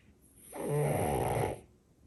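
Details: A sleeping French Bulldog gives one loud snore lasting about a second, a low rough rattle with a buzzy drawn-out breath, in a quiet indoor room.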